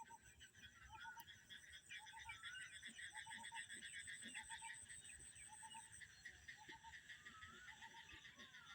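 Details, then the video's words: Frogs croak from a rice paddy field in a village on a cloudy afternoon with rain seeming imminent: short doubled notes about once a second over a dense, high buzzing chorus. "ইরি ধানের জমি থেকে ব্যাঙ ডাকতেছে। ব্যাঙের শব্দ শুনতে পাচ্ছেন বন্ধুরা।"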